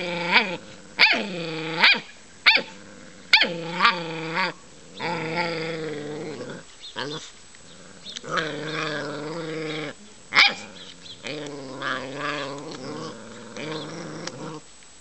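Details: Playing puppies give a quick run of short, sharp barks, then slide into long rumbling growls and whiny, wavering calls that rise and fall until the end.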